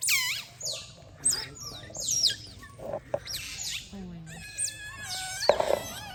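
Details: Otters lying in the sun and playing together give high squealing calls, each sliding steeply downward, in bursts separated by short pauses, with a low steady hum beneath.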